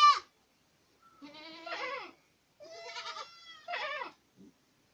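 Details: Boer goats at Acatlán de Osorio, Puebla, giving a short sharp cry, then three wavering, quavering bleats about a second each, with brief silences between them and a faint grunt at the end.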